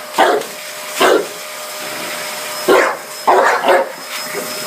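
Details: Dogue de Bordeaux barking at a vacuum cleaner: four or five loud, harsh single barks spaced unevenly over a few seconds, over the steady drone of the running hoover.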